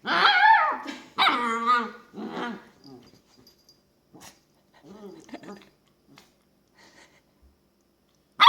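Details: Female long-haired dachshund puppy entertaining herself in her bed, giving funny noises: two strong, bending whiny yowls with wavering pitch, then a shorter grumble and soft snuffling sounds, ending with a sudden sharp yip.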